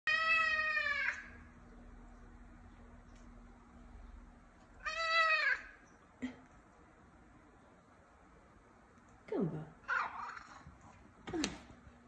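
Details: Male F2 Savannah cat, a gentle pet indoors, gives two clear drawn-out meows, at the start and near five seconds, each tonal and falling away at the end. Several short chirp-like sounds and faint rustles follow.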